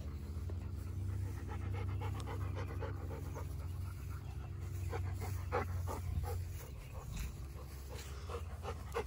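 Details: Panting dog during a meeting between Erie, a Great Pyrenees/Border Collie mix being dog-sat, and Hannah the yellow Labrador Retriever; quick irregular breathy huffs, several per second, above a constant low droning background.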